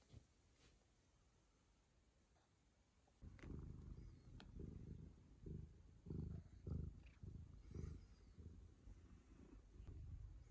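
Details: Ragamuffin cat licking the owner's daughter as a sign of affection; after three quiet seconds a low, rough purr begins and pulses steadily in rhythmic bursts, with faint rustling and a steady high background hum.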